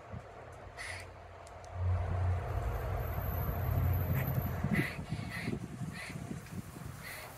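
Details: Squawking repeatedly toward another squirrel, a grey squirrel with its tail curled over its body calls in Oviedo, Florida. Brief raspy bursts cluster in the second half, while a passing vehicle rumbles low.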